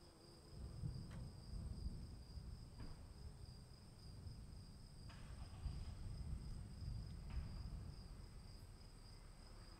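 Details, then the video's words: Crickets calling during rain, their steady shrill trill unbroken, while heavy low rain noise and several sharp drip taps punctuate the background. "1 hour of cricket sounds in the rain"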